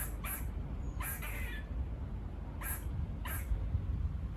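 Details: Squirrels near a farm bark with a buzz-like quality. Four harsh, noisy bursts come in two pairs, with a low outdoor rumble underneath.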